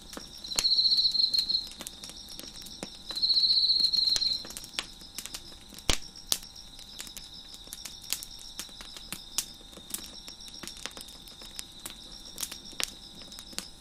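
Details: High, continuous cricket chirping behind a crackling deck fire, with two loud buzzy trill bursts near the start, each about one to one and a half seconds long, then a softer steady hum broken by frequent sharp wood crackles.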